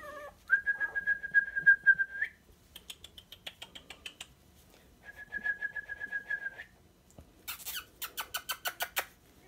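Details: Sandstone Dachshund puppies, 23 days old and just over a pound each, give steady, high whines that hold one pitch, broken by short scratchy squeaks.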